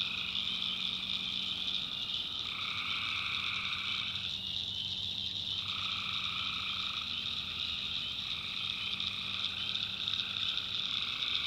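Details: Swamp at night in the North Carolina backwoods, full of tree frogs: a continuous high chorus, while a lower group of callers drops out for about two seconds midway, then starts again, over a faint steady hum.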